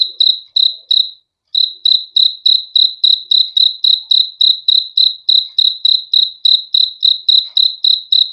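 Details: Cricket's high pulsed chirps repeat quickly, stopping for a short gap after the first few before continuing in an unbroken, even series; clean background.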